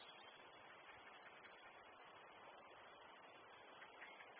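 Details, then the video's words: Brittany, France: great green bush-cricket giving an unbroken, very high, sizzling trill at a constant level, with nothing else clearly heard. "Sauterelle verte en Bretagne"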